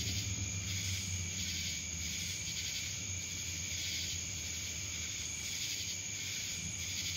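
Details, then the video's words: Cicadas in Dallas, Georgia fill the air with a continuous, shrill electric buzz that swells and pulses about once a second, with a faint low hum underneath. "Cicadas Black Screen Sounds"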